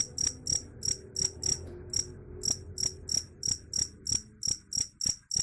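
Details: Cricket chirping, offered as a sound to drive away rats: sharp, high, ringing pulses repeated about three times a second in a steady but slightly uneven rhythm, with a faint low hum underneath.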